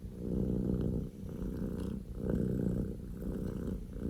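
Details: Scottish Fold kitten Poko J, male, born 15 October 2019, purring at full volume: a coarse low rumble in two breath phases with a short dip near one second.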